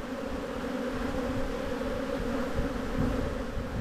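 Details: Spring hive inspection in a bee yard, with a plastic frame lifted from a colony of honey bees; a sustained, even buzzing drone with steady layered tones and slight swells near the end.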